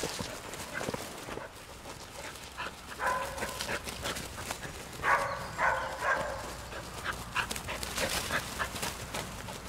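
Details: English springer spaniel giving short, nasal, tonal whines in two bursts a couple of seconds apart, amid clicks, rustling and background noise.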